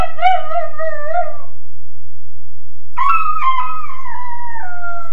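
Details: A 13.5-week-old Weimaraner puppy howls in his kennel: two drawn-out wavering howls, the second starting higher and sliding downward, separated by about a second of quiet, over a constant low hum.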